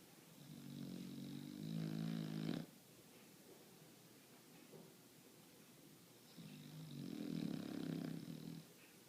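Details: Sleeping pet bulldog snoring indoors: two long rasping snores, each about two seconds, with a low rumbling tone and a faint high whistle, separated by quiet breathing pauses.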